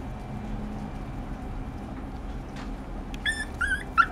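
A Pomeranian gives a few thin, high whimpering yips after a quiet stretch of low background hum.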